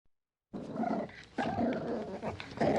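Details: Puppy growling: after a short silence come sustained, rough, low growls in two long stretches, with a brief gap between them and a louder burst at the end.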